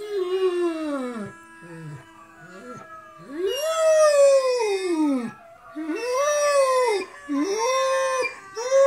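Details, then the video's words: Harlequin Great Dane howling indoors while watching videos of other dogs howling: long, loud, arching wails that rise and fall, several drawn-out howls separated by short pauses, with rich overtones. "funny howling harlequin great dane"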